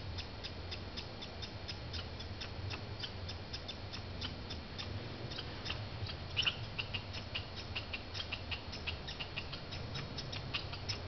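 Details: Banff, Canada: fighting squirrels make rapid dry clicks in a regular stream, softer at first, then denser and louder midway, with a low hum underneath.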